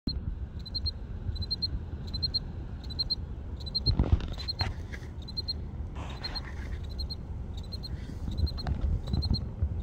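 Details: A cricket chirps steadily outdoors from a crack in a building, short high pulsed bursts repeating about twice a second over low rumble.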